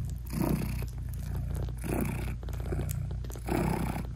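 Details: Mother British Shorthair cat purring as she nurses and hugs her tiny newborn kittens, eyes still closed; deep rhythmic purr swelling in breathy pulses about every one and a half seconds, no music.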